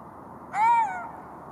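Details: Golden jackal giving one short tonal wail, about half a second long, that rises slightly and then falls, with stacked bright overtones over a steady low background hiss.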